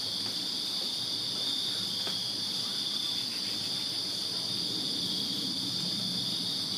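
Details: Crickets chirping through a Virginia summer night in a backyard, a steady shrill high trill, with a few faint clicks and a soft low hum in the background.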